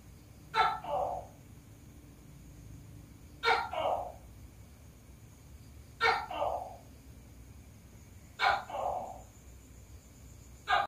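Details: A tokay gecko, said to be laying eggs, gives its loud two-part "to-kay" call, a sharp click followed by a lower croak.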